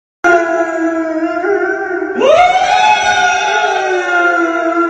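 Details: Siberian Husky screaming in a loud, drawn-out howl: a steady wailing tone, then a sudden upward swoop into a higher sustained cry that slowly sags in pitch, rich with layered overtones like a siren.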